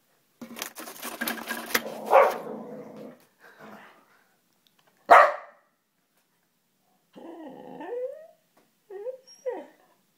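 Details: Popeye, a two-legged pet dog, worked up indoors as paper is loaded into a printer: harsh growly barking for a few seconds, a sharp single bark, then whiny yelping barks with rising and falling tone.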